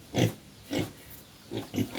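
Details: Native pigs on a farm visit, grunting in four short, low, rough bursts about half a second apart, against a steady hiss of background noise.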